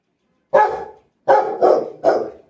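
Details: A pet Rottweiler gives one harsh, full bark, then after a pause three more in quick succession, each loud and throaty with a brief trailing tail; quiet background.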